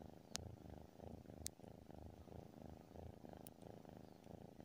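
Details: Continuous soft rumbling purr of a sleeping tabby cat, pulsing gently with its breathing, interrupted by a few sharp tiny clicks.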